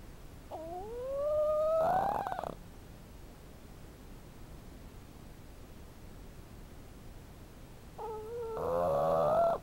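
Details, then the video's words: Ginger, a 5-month-old female Boston Terrier asleep on her owner's lap, snores: a whistling, rising nasal tone, then a buzzy rattling breath. "Ginger the Boston Terrier snoring"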